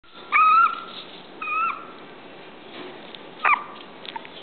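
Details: Toy poodle whimpering in high, thin whines: two clear tonal cries near the start, each held about a quarter second, then a shorter sharp whine around three and a half seconds, with faint softer whimpers between.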